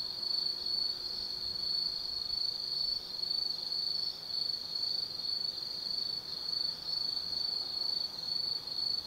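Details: Autumn insects singing at night in the Tsukimi no Mori forest, Kaizu, Gifu, Japan, from a lookout over 180 m up facing the lit Nobi Plain: a steady, high, shrill trill that pulses slightly in loudness, with no other clear sounds.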